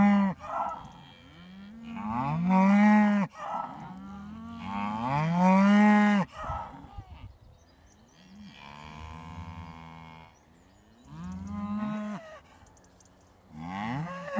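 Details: Traditional Beef Shorthorn cattle coming up to greet in the morning, lowing repeatedly: several long, deep moos with rising and falling tones, some overlapping, roughly every two to three seconds with quieter pauses between.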